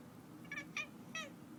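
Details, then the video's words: Domestic cat making a strange sound: three quick, bright chirping calls within about a second, the last slightly longer and falling at its tail, over a low constant room hum. "Cat's strange sound"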